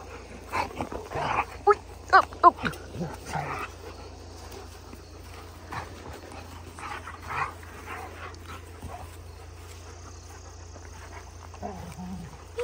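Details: A happy German Shepherd puppy gives short, sharp whimpers and yelps, tightly clustered in the first few seconds, then sparse. Excited human voices break in over a steady low hum.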